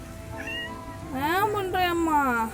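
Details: Cat meowing while being patted: a soft short chirp, then two drawn-out whining meows, the first rising then falling, the second sliding downward, with a woman speaking affectionately in Tamil and faint music.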